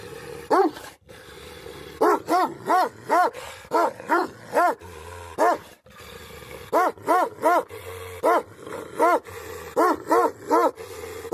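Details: A Tibetan Mastiff (Bhote Kukur), a Nepalese livestock guardian dog, gives a run of about twenty resonant barks in bursts of two to four, with brief gaps and a faint background hum.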